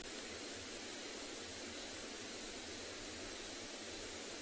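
Steady broadband hiss like static, with no animal calls.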